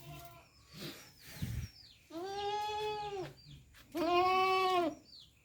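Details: Goat uttering two strong, steady bleats of about a second each, separated by a short pause, with scattered high bird chirps and a few rustles behind.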